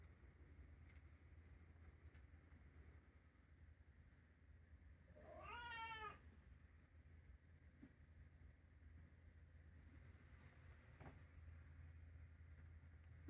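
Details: ['Indoor calico cat, three years old, gives a single short rising-falling meow around mealtime, set against a steady low hum of room noise.']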